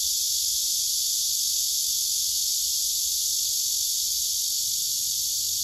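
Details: Cicadas clustered on a tree, a male with wings spread and abdomen raised singing, filmed by phone camera: one continuous shrill, sizzling drone without breaks, constant in pitch and volume, nothing else clearly audible.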